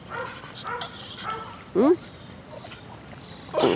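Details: Pet dog wagging her tail in an everyday greeting at home, giving a short rising-falling whine and a later sharp yip, amid a woman's talking.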